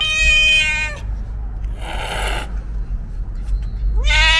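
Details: Cat with a loud, drawn-out meow that ends abruptly, then a harsh noisy burst, and finally a rising meow at the end over constant low rumbling background noise.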